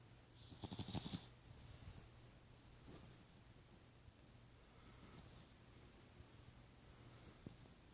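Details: Snoring cat: one rattling, pulsed snore near the start, then only quiet, faint breathing against a low steady hum and a hushed room background.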